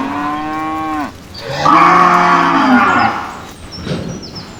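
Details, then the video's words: Cows in a cage answering each other: a steady harmonic moo for about a second ends with a downward bend, then a second, louder, rougher moo with wavering tones from one and a half to three seconds, with a fainter call after. "The sound of a cows original | heard loudly in the cage, answering each other"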